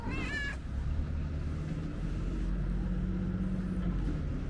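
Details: Opening with a quick, quavering meow, a curious ginger cat investigates the camera; afterwards only a steady low rumble of distant traffic remains.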